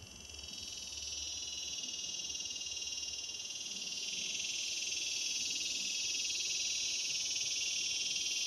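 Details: Male cicada's mating call in Palm Desert, California, a metallic incessant buzz rising gradually in loudness, continuous and high-pitched, with a slight shift in tone midway, over faint low background noise.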